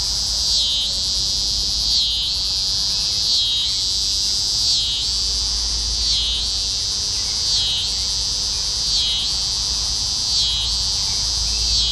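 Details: Night chorus of T. pruinosus cicadas in Carey Park, June 15, 2010, first cicadas heard that year; steady shrill buzzing with rhythmic dips and swells roughly every 1.4 seconds, no other clear sounds.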